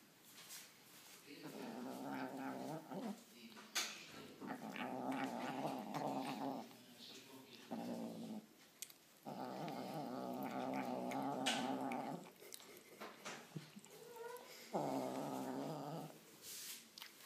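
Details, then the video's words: White kitten growling while eating, annoyed: long low rumbling growls in bursts of two to three seconds, separated by brief pauses, with faint clicks between. "Cute white kitten annoyed when eating!!"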